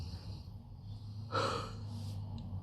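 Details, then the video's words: A sleeping dog lets out one short, breathy snort-like snore midway, over a steady low hum in a quiet room. "Snoring dog"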